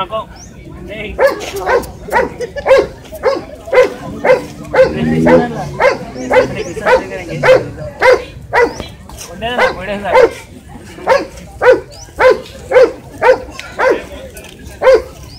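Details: A Shih Tzu yaps in a long run of high, clipped barks, nearly two per second and steady throughout, with a brief murmur of background sound partway through.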